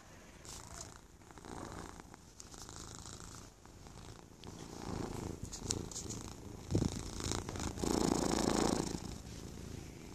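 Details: Purring from sleepy cats being cuddled, part of a purr duet; a low continuous rumble runs through the clip, swelling louder toward the end with a bright burst near eight seconds.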